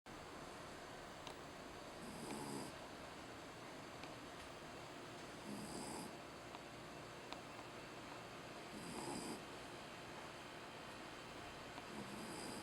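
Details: Jack Russell Terrier named Tamao, asleep and snoring loudly: soft breathy snores with a hissing top, each lasting about half a second and recurring roughly every three to four seconds over a steady quiet room hum.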